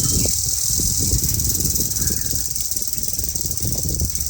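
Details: A cicada in a village forest on a quiet afternoon drones without pause in a high, shrill, machine-like buzz, the male's call to attract a female, said to grow louder as temperature rises, over a low rumble.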